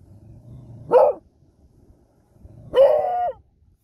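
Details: Smudge, a pet Beagle, gives two loud bays: a short sharp yelp, then after nearly two seconds a longer baying howl held steady for about half a second, with faint low hum between.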